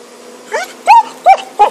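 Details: Happy, a dog with a stick, filmed in 2012, gives four short, high, arching yips in quick succession, each rising then falling in pitch, with a quiet background.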